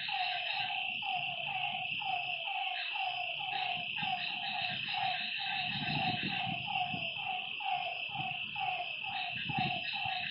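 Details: Night-time lakeside frog chorus of rhythmic, slightly falling croaks, roughly one each second from overlapping callers, set against a continuous shrill insect hum.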